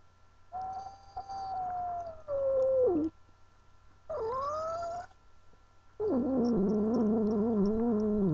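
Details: Pet cat Angel, a female who did not want to be held, lets out drawn yowls: one sinking slowly, one rising sharply, then a harsh, wavering growl-like moan layered with rich harmonics.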